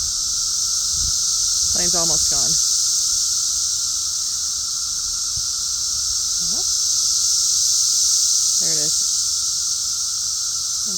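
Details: Continuous high, hissing buzz of cicadas filling the background while a man speaks in short phrases over it.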